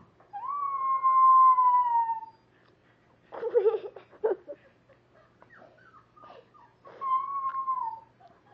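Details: Howling at the computer from Pepper, a rescue dog that is half dachshund and half pug: one long sliding howl, then a burst of scratchy clicks and knocks, then a shorter, softer howl at the end.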